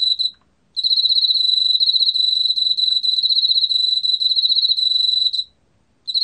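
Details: Korean field cricket song: a steady, rapidly pulsed high chirping trill that runs for several seconds, stops briefly, then starts again near the end. A faint overtone sits above the trill. No other sounds.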